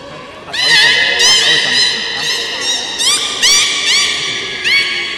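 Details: During a public training session at the Port of Nagoya Public Aquarium on 18 July 2016 (13:30 session), a beluga gives rapid, overlapping squealing whistles that sweep upward, about ten bursts in a few seconds, with strong ringing overtones.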